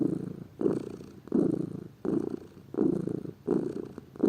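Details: Low, buzzing purr of a lazy house cat, rhythmic swells roughly every 0.7 seconds as it breathes in and out, recorded close with little else audible.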